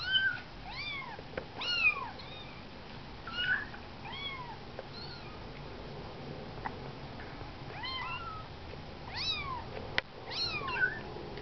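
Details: Several 19-day-old kittens on their first walk outside the nest, giving high, thin arched meows in overlapping bursts, with a quiet stretch in the middle and a renewed cluster of mews near the end; faint clicks and rustles behind.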